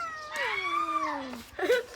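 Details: Cat waiting for food gives a drawn-out meow that starts high and slides steadily downward over about a second, followed by a short, harsher cry, with a person talking nearby.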